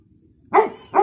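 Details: Pet dog Loky, on holiday, barking to bother other dogs: two sharp mid-pitched barks in quick succession about half a second apart, after a quiet low murmur.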